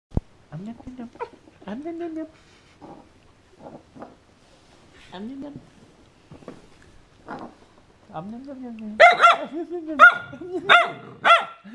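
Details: Siberian Husky named Varg, indoors, guarding his bone and warning another to stay away: low, moaning vocal growls that rise and fall in short bursts, growing into louder, higher-pitched yowling grumbles near the end.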